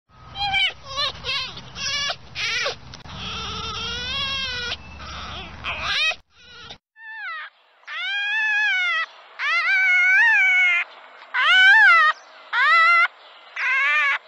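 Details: Red fox. Red fox calling with strained, quavering squeals that rise and fall, each lasting about a second and coming in quick succession. A low rumble underlies the opening few seconds, then the calls continue over quiet.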